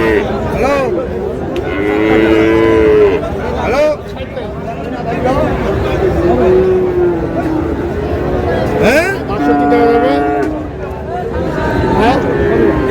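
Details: Friesian and cross-breed bull calves at Raniganj cattle market, Dinajpur, 30 July: several drawn-out, harmonic moos rise and fall over roughly thirteen seconds amid constant crowd chatter and bargaining voices.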